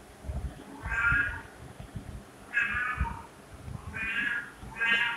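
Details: Four rich, harmonic cat meows spaced roughly a second and a half apart, each drawn out and slightly falling at the end, over a low background rumble with soft thumps.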